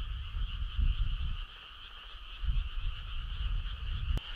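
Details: Summer-night frog chorus with deep, grating croaks in bursts near the start and again midway, set against a continuous high droning background; a brief sharp click near the end.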